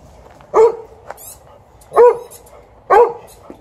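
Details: TJ, an elderly 12-year-old Golden Retriever, lets his owner know he wants to play fetch. Three loud, full barks about one to one and a half seconds apart, with a brief squeaky chirp and light tapping between them.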